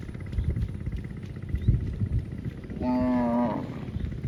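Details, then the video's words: A field-grazing cow lets out one clear, steady moo lasting under a second, rich in harmonics with a slight drop at the end, after low rumbling wind and a few soft knocks. "Cow mooing sounds & grazing in a field"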